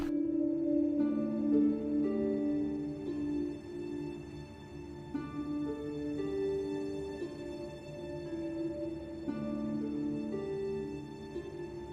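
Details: Only gentle ambient music plays, with held, ringing tones like a singing bowl or harp and slow changes in harmony. No animal voices can be heard.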